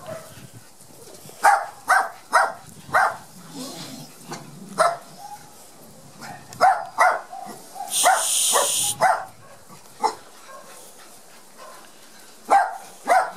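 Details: Young Border Collie puppies of Gem and Sky's litter, timid and barely moving on their first trip to the garden after vaccination, let out sharp high yips in irregular clusters, with a second of hissing noise midway.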